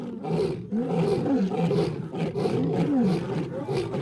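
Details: Several wild lionesses roar in chorus at night to drown out two rival males; dense, continuous moaning roars with repeated downward-sliding tones overlap without pause.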